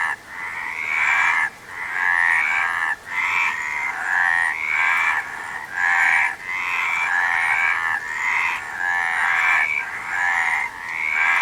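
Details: Many frogs calling together, their rattling, pulsed croaks overlapping into a steady throbbing wall of sound broken by short dips every second or two.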